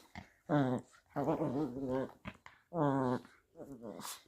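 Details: Playing, a little Chihuahua–Jack Russell mix gives three drawn-out, warbling growls of about half a second to one second each, sounding almost voice-like, separated by brief quiet gaps.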